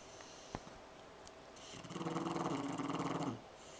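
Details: Lazy French Bulldog sleeping on a couch indoors, giving a single rough, fluttering snore of about one and a half seconds that rises and then cuts off, with a faint tap before it in a quiet room.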